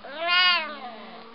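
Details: A male Siamese cat lets out a single loud, drawn-out meow that swells and arches in pitch before fading, begging for his food.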